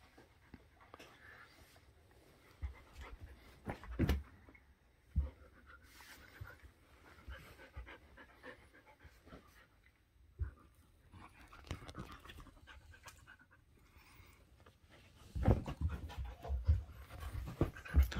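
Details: Shetland Sheepdog acting wild: steady low panting with occasional snorts and sharp bumps, the breathing growing louder and faster toward the end.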